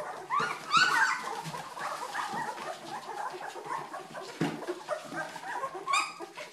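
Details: Several Old English Sheepdog puppies aged two weeks squeal and whine, with an early burst of rising high-pitched yelps followed by softer, scattered whimpers and a final thin squeak.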